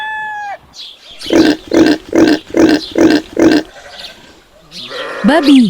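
A domestic pig gives a run of six short, low, hoarse grunts in steady rhythm.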